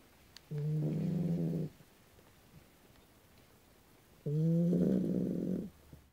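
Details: Dogue de Bordeaux asleep and snoring: two drawn-out, deep, vibrating snores over a second long each, with a near-silent pause of about two and a half seconds between them.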